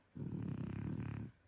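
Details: Sleeping French Bulldog giving one loud, gravelly, low-pitched snore lasting just over a second, with a fast fluttering rattle throughout, in a quiet room.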